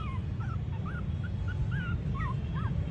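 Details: Male Shih Tzu puppies in Gurugram, filmed around 10 December 2021, giving thin, wavering squeaky whimpers that rise and fall. The whimpers come in quick irregular bursts, about a dozen in three seconds, over a steady low rumbling background noise.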